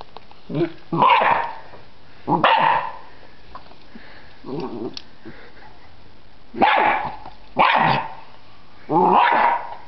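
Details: Freddy, a pet dog, barking at a butterfly in a yard: loud broadband barks in pairs and threes, some drawn out into a harsh howl-like tail, separated by short quiet gaps, with a few softer yips between.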